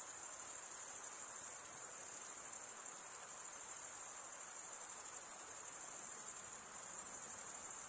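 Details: Crickets, males stridulating by rubbing one wing's edge across the toothed vein of the other, form a steady, dense, high-pitched shimmering trill that holds on without pause; no other sounds stand out.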